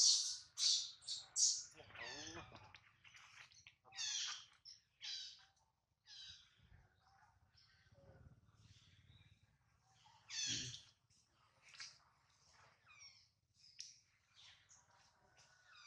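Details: Baby monkey Adler, held in the hands of a small monkey, cries while missing his mother and hungry: piercing high squeals in quick bursts at the start, further shrill cries around four and ten seconds, fainter chirps in between.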